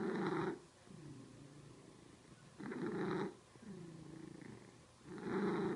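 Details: Pet cat purring close up, a grainy pulsing drone that swells in three strong exhaled bursts about two and a half seconds apart, separated by softer rasping inhalations, in a quiet room.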